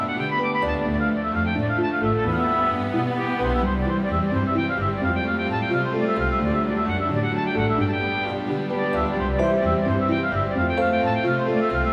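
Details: Orchestral music with bowed strings such as violin and cello plays throughout, with no animal sound heard.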